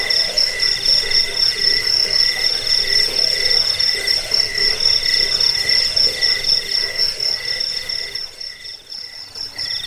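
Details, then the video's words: Crickets recorded for repelling rats, as a sleep aid and for training songbirds: several high, pulsing chirp trains at different pitches overlap in a steady chorus, thinning briefly near the end. "Suara jangkik pengusir tikus pengantar tidur"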